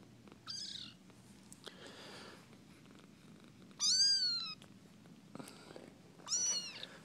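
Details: Kittens from a litter found under a front porch, playing indoors: three high, thin, wavering mews, at the start, the middle and near the end, with soft rustling and scuffling between them.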